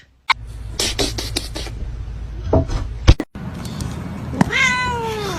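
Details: A domestic cat lets out a drawn-out meow that falls in pitch near the end, following bursts of crackling handling noise, short human voices and laughter indoors.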